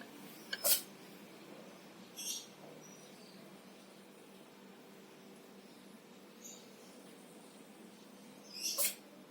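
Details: Classic tabby orange cat sneezing indoors, three short sharp hissy bursts spread over nine seconds, the first and last strongest, with a faint steady room hum between them.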